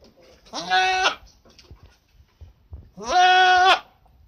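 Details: School goat bleating twice, about two and a half seconds apart, each call a harsh, buzzy, level bleat of roughly half a second to almost a second, with faint rustling and quiet noises in between.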